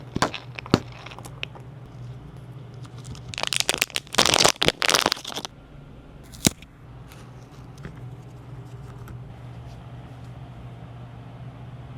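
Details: Crinkling, tearing and crackling of packaging during feeding time indoors, with a loud burst of rustling in the middle and a low steady hum; no animal voice is heard.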